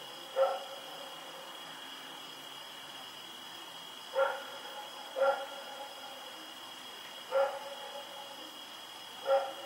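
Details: Barking at night from Rex, a dog running around on 7 October 2018: five short, clipped barks spaced irregularly, one to three seconds apart, against a constant high whine in the background.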